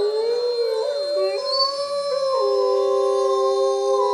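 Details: Rain does not stop the Bays Mountain Park wolf pack from chorus howling. Layered wavering howls cross and bend early, then settle into long steady held tones.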